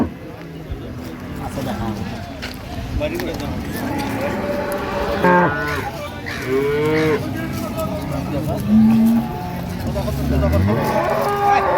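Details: Improved-breed dairy cows and calves at Ambari market, Dinajpur, 28 September 2025: several short, bending moos rise out of a constant din of crowd talk and market noise, partly masked by voices.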